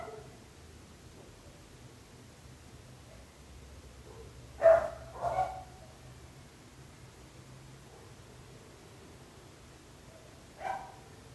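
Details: A dog kept by neighbours barking sporadically: long quiet stretches broken by a sharp double bark in the middle and one lone bark near the end, distant and muffled.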